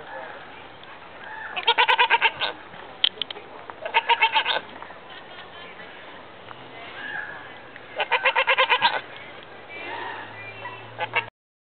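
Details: Mini goat at Bearizona answering a visitor, giving short bursts of quavering, stuttering bleats in three main bouts, separated by quieter stretches with a person's voice in between.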